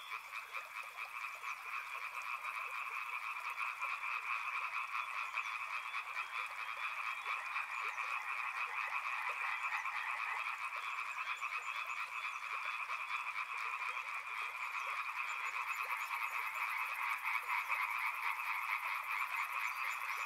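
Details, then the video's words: A steady, dense chorus of frogs along a river: overlapping croaks form a constant two-toned trill with quick rhythmic pulses, and a high thin buzz rises near the end. "Frog Sounds | Soothing sounds of river and frogs"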